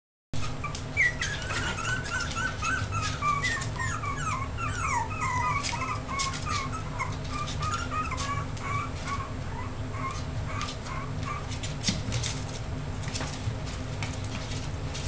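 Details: Six-week-old Yorkshire terrier puppies whimpering and squeaking indoors, a dense chorus of short high, falling and wavering yelps overlapping continuously over a steady low hum.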